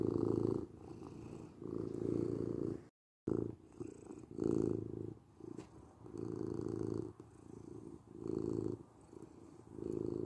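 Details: Domestic cat purring in a low, throaty rumble that rises and falls in uneven cycles, with loud phases about a second long and a brief dropout to silence near the start.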